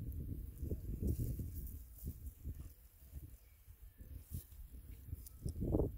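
A pug snuffles and grunts in low, rough bursts, breathing noisily between short snorts.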